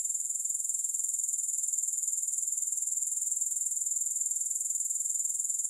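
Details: Grasshoppers with no music added: a steady, very high-pitched chirring pulsed about four times per second, unbroken from start to finish with no other sounds.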